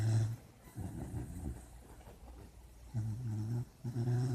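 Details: A puppy dreaming in its sleep gives deep, rasping snores. There are two bursts near the start, a quieter gap, then louder snorts around three and four seconds.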